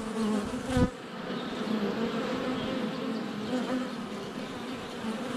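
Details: Honey bees in flight at a hive entrance on a sunny February day, filmed up close with a GoPro Hero 7 Black; a continuous droning buzz with shifting tones around the camera, plus a sharp knock near the start as a bee lands.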